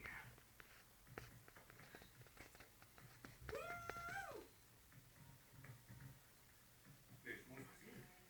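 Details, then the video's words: Golden retriever dreaming a nightmare while asleep indoors: a single drawn-out tonal whimper arches up then falls midway, a brief softer whine near the end, with faint snuffles, clicks and low murmuring in a quiet small room. "Golden retriever nightmare"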